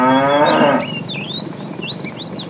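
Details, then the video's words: Tame cattle herded in the afternoon, a fat cow calling the female: the tail of a loud moo fading after under a second, then varied bird chirps and whistles. "The funny sound of a fat cow calling the female"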